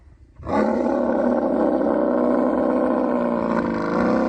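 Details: Camel during mating season in Thar Desert, Sindh, Pakistan, giving one long, loud, harsh roar that bursts in after a short quiet start and holds steady, rough and bubbling, to the end.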